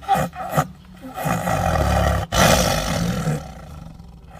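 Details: A big male Siberian tiger gives a couple of short, harsh grunts, then a long, low, rasping growl that swells and fades. The rumbling warning serves to defend its meal.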